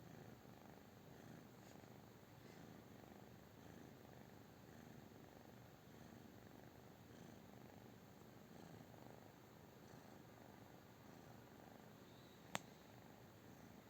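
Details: British Shorthair cat purring quietly and evenly throughout, a faint low rumble with one sharp click near the end.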